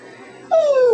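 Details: Roxanne, a 12-year-old pet dog trained to say "I love you", gives a short, bright vocal note that slides downward in pitch, following her owner's coaxing.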